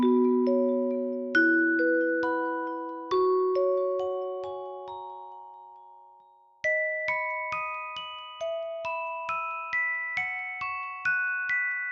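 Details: A gentle lullaby melody of glockenspiel or mallet notes plays, sustained bell-like tones stepping down and then rising in a brighter repeated pattern, with no animal voice heard.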